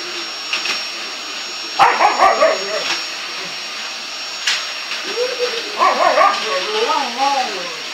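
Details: Winnie the bulldog protests the vacuum cleaner with clustered yelping barks, then a long run of wavering, sliding whines and groans, set against a steady vacuum roar and a human voice.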